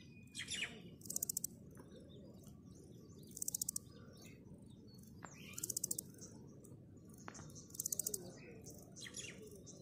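A grasshopper makes short, high buzzy bursts of rapid ticking pulses, repeated about every two seconds.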